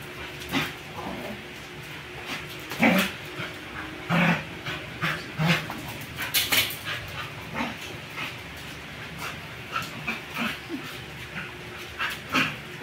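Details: Two dogs, a one-year-old beagle-labrador mix and a four-year-old American bully, during playful zoomies; scattered short yips and huffs with panting-like breaths, irregular bursts throughout.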